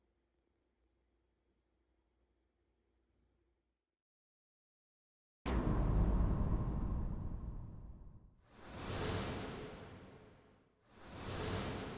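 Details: Near silence for about five seconds, then loud whooshing sound effects sweep in and repeat twice, with no animal voice anywhere.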